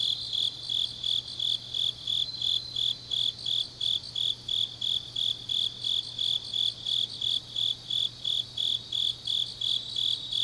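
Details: Autumn grass insects on a deep night in Changnyeong, Gyeongnam, South Korea: high, steady chirping pulses around three times per second, evenly repeated, with a faint layered trill above and a low constant hum beneath.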